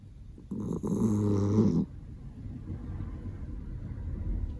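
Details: Miniature Dachshund named Roro asleep and snoring loudly: one long, harmonic-rich, rasping breath lasting over a second, followed by quiet, noisy breathing.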